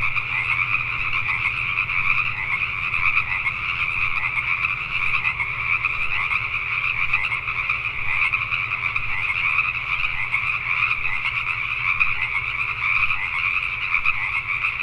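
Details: Many Pacific tree frogs croak together after dark in Richmond, British Columbia, Canada, a thick continuous chorus of raspy calls at even loudness, with a low background hum underneath.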